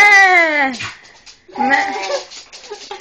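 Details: Female pet dog indoors, acting strangely and making noises likened to sheep: a long wavering bleat-like cry falling in pitch over under a second, a pause, then a second rougher, shorter wavering cry with trailing snuffles.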